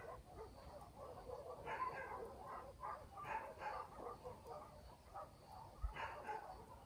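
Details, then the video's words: Dogs barking at night in a country village: distant, muffled barks in short bursts, a few clustered together around the middle and near the end, over a steady low rumble of night ambience. "barking dogs in the village"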